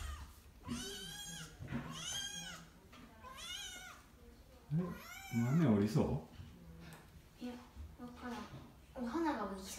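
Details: Oiro, a kitten who quickly learns to climb down stairs it once feared, gives three clear rising-falling meows in the first seconds, with a lower human voice near the middle and a final short meow at the end.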